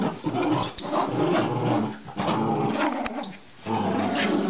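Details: Playful growls from a Rat Terrier during a game of tug-of-war, nearly continuous and gravelly, with one brief lull near the end before the rumbling resumes.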